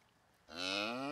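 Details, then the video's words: A cow moos loudly on a farm: after a quiet start, a strong, rich, drawn-out harmonic moo begins halfway through and holds steady to the end. "koe loeit er op los"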